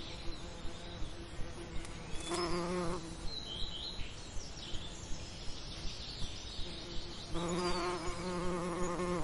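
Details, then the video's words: Summer lavender with passing bees: two brief bursts of low, rich humming, one early and one at the end, separated by quieter ambience with a soft ticking pulse and faint high chirps. "Relaxing Lavender Summer Ambience & Bee Sound Effects"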